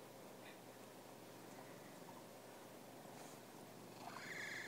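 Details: Pet cat purring, a dense continuous rumble throughout, ending with a short rising meow-like cry in the last second.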